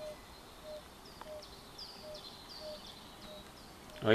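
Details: Yellow-bellied toads, about 5 cm long, in the Vieille Morte marshes in Oisans, France, give soft, short mellow notes at a steady pace, with faint high chirps behind; the call carries 50 metres or more.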